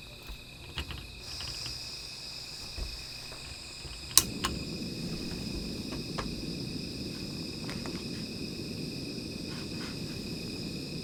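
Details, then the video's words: Insects at night near a small fire keep up a thin high ringing, partly masked after a sharp snap by a rougher low rushing noise, with scattered ticks. "Sound of Insects"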